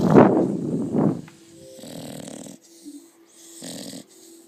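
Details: A seven-month-old female Staffordshire Bull Terrier cross snores heavily while asleep after a long run; two loud rasping breaths open the clip, followed by softer, fainter snores with quiet gaps between them.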